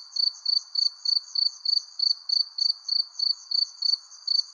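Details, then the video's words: Short stretch of sunset cricket song under a persimmon tree: bright, high chirps evenly spaced about three a second over a quiet background wash. "Relaxing Cricket Sounds Under Persimmon Tree"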